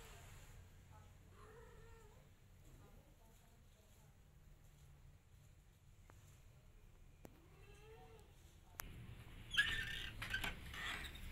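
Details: Mother cat calling her kittens to follow her, two drawn-out meows with rising then falling harmonics a few seconds apart, against low indoor hum, then rustling and handling noise at the end.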